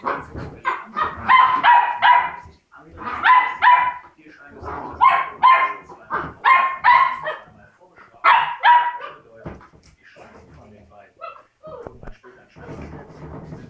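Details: Labrador puppies parting from their littermates give a run of high, harmonic whimpering yelps roughly every second, then fade into softer rustling and low voices.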